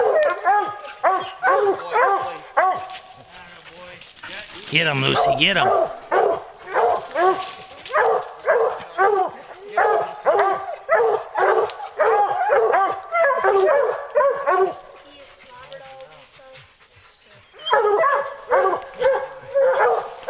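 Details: Hounds trailing a bear, keeping up a dense, overlapping chorus of rhythmic bays broken by a burst of broadband noise near five seconds and a quieter lull before the baying returns at the end.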